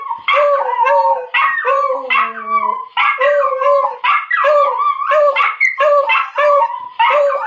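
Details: Two pet dogs, a miniature schnauzer and a beagle, howl together in long wavering, overlapping tones after hearing a video of the schnauzer barking and talking.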